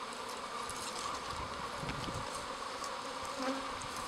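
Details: Honey bees at a hive in Guillestre, Queyras, France: a dense, steady hum of many bees, constant and unbroken throughout, with faint buzzes of individual bees passing close.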